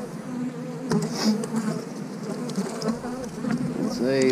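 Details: Steady, dense humming of honey bees around an eight-frame hive, a continuous low drone with slight wavering and faint background voice.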